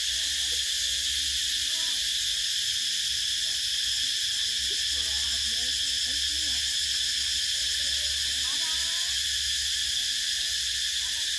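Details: Cicadas chirping in summer: a dense, unbroken high-pitched shrill buzz with a slight steady pulsing, holding level throughout, while faint warbling bird notes sound softly underneath in the lower range.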